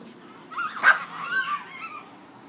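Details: A dog at play gives a short whining, yelping vocalisation that rises and falls over about two seconds, with a louder burst near the middle; quiet background.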